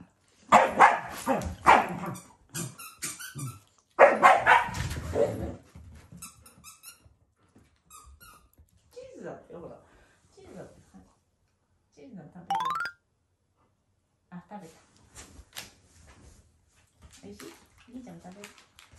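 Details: Shiba Inu, a loving family dog, growling as an affectionate expression toward its owners rather than in anger, with a Labrador also present; two harsh, rasping bursts early on, then quieter squeaky dog sounds and human voices indoors.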